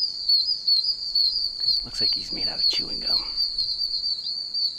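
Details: Many tiny wild oak toads, about an inch long, chirping from puddles in a wet wilderness area: a deafening, continuous high shrill peeping chorus with pulsing waves, while a man speaks briefly in the middle.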